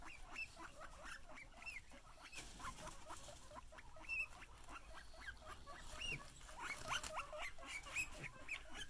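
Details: Domestic guinea pigs calling in excitement when they see their owner. Quick, repeated rising squeals and chirpy whistles, some brief and some longer, tumbling over one another in a busy chorus over low rustling.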